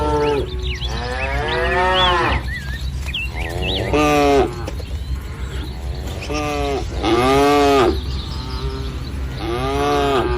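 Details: Dozens of tame village cattle gathered in a green field in morning light; repeated moos from several animals, some rising and falling, roughly every two seconds, with occasional bird chirps between.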